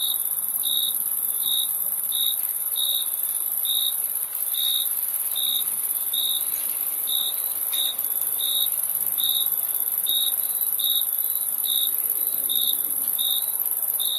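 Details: Cricket chorus with brief chirps at a fixed high pitch, roughly every second, set against a constant shrill background drone of other insects.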